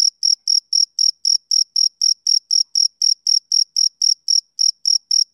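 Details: Rhythmic chirps of a male cricket: crisp, shrill pulses arriving roughly four per second with a thin upper overtone, one tiny gap in the beat near the end, and an otherwise silent background.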